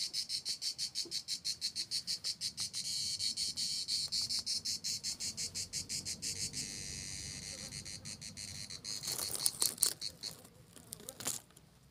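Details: Cicadas sing a high, dry buzzing in rapid pulses that merge into a steady drone, while a small tortoise walks.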